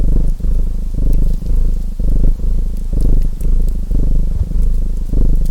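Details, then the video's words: Domestic cat purring steadily beside a crackling fireplace: a deep, low rumble swelling and easing with each breath roughly once a second, with brief gaps between breaths and sharp wood-fire pops scattered above. "Purring Cat Sounds"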